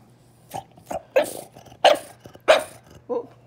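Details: French Bulldog indoors, fussing and demanding food after its owner ate without sharing; six short, gruff, grumbling barks spaced roughly half a second apart, over a faint steady hum.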